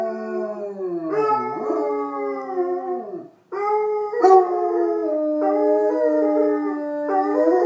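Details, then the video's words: Basset Hounds Putter and Birdie howling together during play: long sustained tonal howls, one sliding downward, then after a brief pause two overlapping voices holding steady wavering notes with a stepped rise near the end. "Basset Hounds Putter and Birdie unprovoked howling fest"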